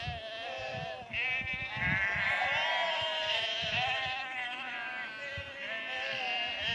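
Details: Sheep near Cefn Coch, Powys, Wales, called and herded down a lane to another field on 31 March 2021; continuous loud, tremulous bleating from many animals overlapping, with faint footfall-like thuds beneath.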